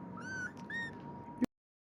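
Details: A kitten meows to attract its mother: two short, upward-sliding mews in quick succession over a constant faint hum, then a sharp click and abrupt silence.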